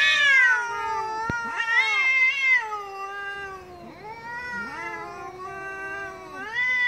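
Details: Loud angry cat growling into wavering yowls, pitch sliding up and down over several seconds in a continuous, tense moan with a brief sharp click early on.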